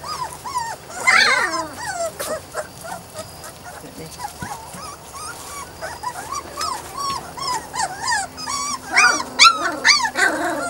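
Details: Weimaraner and Weimaraner-Vizsla cross puppies, a litter aged three to four weeks, giving many overlapping high, wavering whimpers and squeaky yips that rise and fall, growing louder and denser toward the end.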